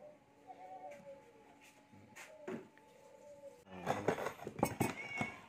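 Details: A cat being fed gives a few soft, arched, whining meows over the first three and a half seconds, followed by loud clattering of dishes and utensils.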